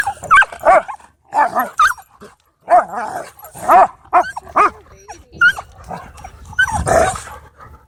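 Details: Dogs at a dog park making odd, vicious-sounding noises: bursts of short, harmonic yelping and whining calls, some rising and bending in pitch, in quick clusters with short pauses, ending in a rougher, noisier outburst.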